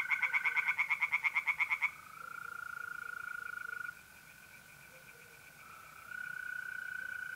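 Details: Short run of rapid tree frog croaks in a north-east Italian pond on an April night, lasting two seconds before giving way to the steady, buzzing trill of mole crickets.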